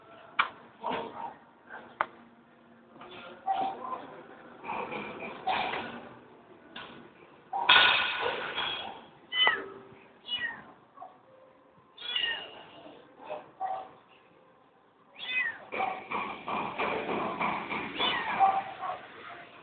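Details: Orestis, a pet kitten playing with his teddy bear, gives short meows amid rustling and knocking of play, with a voice calling his name at times.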